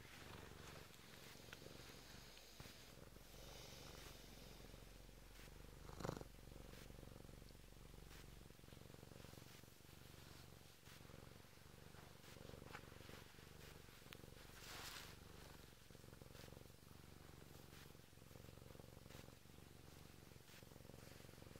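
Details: Indoors, a Bengal cat waking its owner purrs steadily, an unbroken low rumble for about twenty seconds, with one brief knock near the sixth second and soft rustling.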